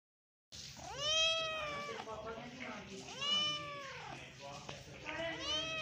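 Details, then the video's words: Pet cat meowing indoors: three long, drawn-out meows, each rising then falling in a bent, harmonic-rich arc, spaced about two seconds apart, with a faint low background hum. "You Have Never Heard This Cat Of Mine Before"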